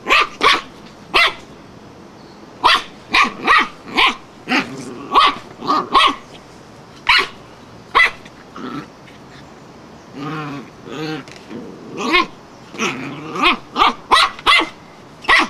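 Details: Wire-haired fox terrier going barking mad at a flowerpot, a rapid run of loud, sharp barks, often in quick pairs and triplets, broken by lower growly bursts around the middle, barely a pause throughout.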